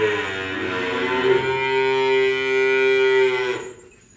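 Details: Cattle during unloading give one long, steady, fairly level moo lasting about three and a half seconds, rich in overtones, ending abruptly into quiet.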